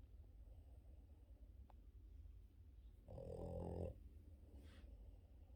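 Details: Boston Terrier dog sleeping in the morning gives one loud, rough, vibrating snore midway, followed by a softer breathy exhale, over a constant low indoor rumble.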